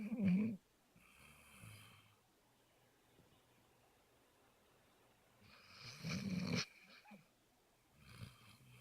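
A Basset Hound snores in deep, rumbling breaths, with long quiet pauses between them.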